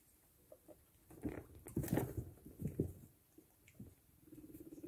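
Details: Female skinny pig, a hairless guinea pig, flirting with a male guinea pig during a butt dance: low, throaty rumbling pulses clustered in the middle seconds, with soft pattering between bursts in a quiet indoor setting.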